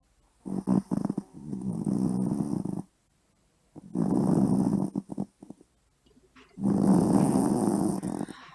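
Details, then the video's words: Poodle snoring loudly at night indoors, a sound big enough to keep people awake. Three long, rough, rasping snores of about two seconds each, separated by short silent pauses, with deep low rumbling throughout. "푸들의 엄청난 코골이"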